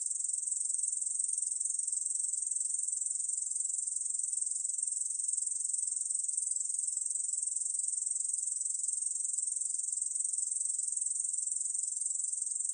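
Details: Ussur brown katydid song from Korea's National Institute of Biological Resources, 2020: a continuous high, hissing buzz, steady for the full length with faint pulsing about twice per second, no other sounds.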